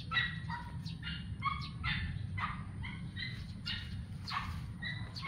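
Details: Adopted stray kittens, eight weeks old, playing in a backyard: short high mews and squeaks, many overlapping and quick, rise and fall over steady low outdoor rumble.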